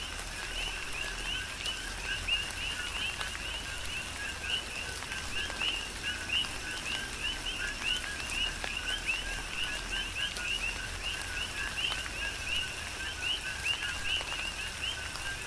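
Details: Chorus of coqui frogs in a tropical rain shower, Big Island, Hawaii: rapid overlapping co-qui chirps stacked in two pitch bands, rising on the upper note, continuous beneath constant rainfall and occasional sharp drops.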